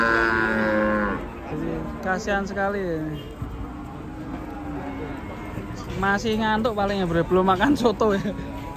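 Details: Agitated cattle lowing in a compilation of raging cows: a sustained harmonic moo at the start, then a burst of short wavering bellows near the end, with talk and some music in the background.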